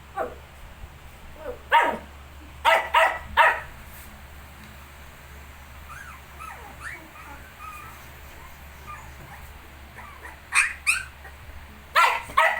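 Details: Shih tzu alongside 19-day-old puppies: scattered barks at start and end, with soft high whimpering squeaks between them, steady background hum throughout.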